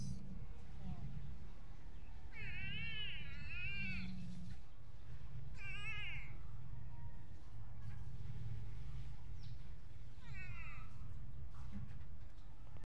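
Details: Crying cat during urban gardening, giving several drawn-out wavering meows in separate bursts, each a few seconds apart, over a constant low rumbling background with faint speech.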